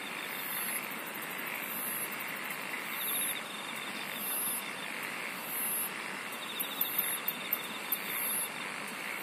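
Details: Singing insects form a thick, continuous chorus. Very high chirping trills rise in bursts roughly every 1.3 seconds above a constant hiss-like buzz. A few sharp ticks sound near the end.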